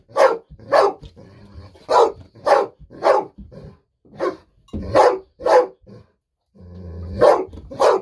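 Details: Indoor pet Golden Retriever sensing treats are coming and barking nonstop in excitement; rapid run of about eleven sharp, punchy barks, some in quick pairs, with a short pause and soft background shuffling near the end.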